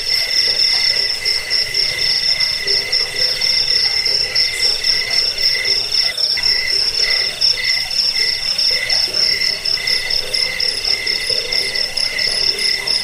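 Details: Rat-repelling, sleep-inducing cricket sound also used as a bird-training master: an intense, nonstop shrill trill of rapid pulses in several high layers, with a brief faint click midway.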